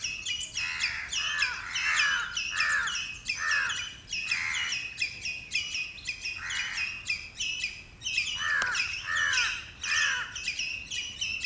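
A squirrel gives harsh, scratchy chattering calls in quick uneven bursts to defend its territory.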